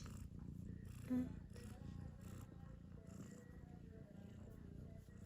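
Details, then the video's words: A cat snores in its sleep, giving a quiet, continuous low-pitched rumble with a grainy, purr-like quality and little change across the few seconds. "Snoring cat"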